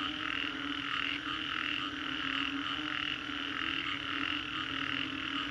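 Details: Frogs calling after a storm at Green Corridor, Singapore, in a dense continuous chorus of overlapping croaks pulsing roughly every half second, with a steady low hum beneath.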